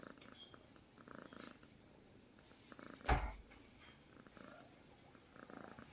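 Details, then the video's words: Cat purring while asleep, a steady pulsed rumble rising and falling with each breath, broken once midway by a sharp knock or click. "Purring Cats while sleeping"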